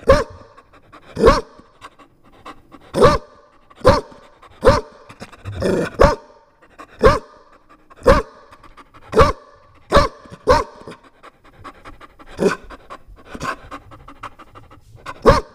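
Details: Chow Chow puppy barking loudly, sharp single barks spaced about one to two seconds apart, some quicker pairs, with softer huffs and panting between them in a quiet indoor setting.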